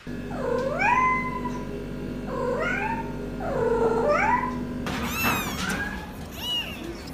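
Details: Cat producing long, wavering, drawn-out meows that dip and rise again, three in a row over a steady hum, then a burst of louder higher meowing and noise.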